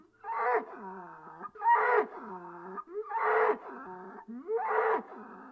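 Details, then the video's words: Bull giving four hoarse, harmonic bellows, each rising then sliding down, spaced about every one and a half seconds, with rough breathy tails between calls. "ANIMAL SOUNDS : BULL"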